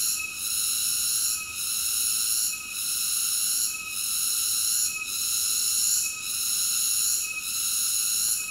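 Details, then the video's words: Cicada singing: a steady, shrill, high-pitched buzzing drone that dips briefly about every 1.2 seconds, then swells back. No other sounds. "Cicada ASMR Sleep Nature Sounds"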